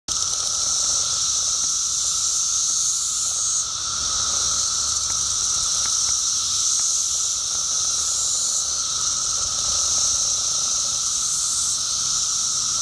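Periodical cicadas fill the air with a steady, droning chorus that never lets up.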